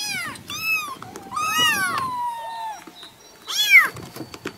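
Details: Newborn kittens meowing: several high, arched meows with rich harmonics, some short and some drawn out with a falling tail, spaced irregularly over a few seconds in a quiet indoor setting.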